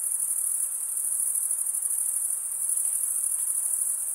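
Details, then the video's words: Cricket chirping forms a constant, very high shimmering whine with a faint pulsing texture, steady throughout, with only soft background hiss beneath. "Most relaxing cricket sound"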